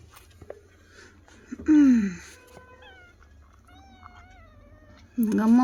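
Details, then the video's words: Kittens meowing indoors as they respond to their owner: two loud, high, descending kitten meows, one early and one at the end, with a woman speaking Tamil softly between them. "How Cutely They are responding to me"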